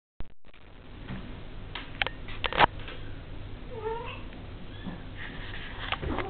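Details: A 5-week-old Devon Rex kitten gives a thin, high meow amid soft rustling and clicks.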